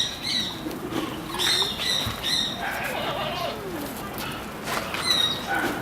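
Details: Capybara at the Torias traveling petting zoo, its calls likened to birdsong: a run of thin, chirping squeaks with bright overtones, several short bursts spaced irregularly, over a murmuring outdoor background.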